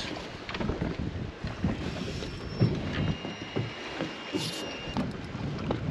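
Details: Wind buffets the microphone over water, with boat noise and hull thumps and no animal voices. A faint steady high tone runs through part of it, likely mechanical.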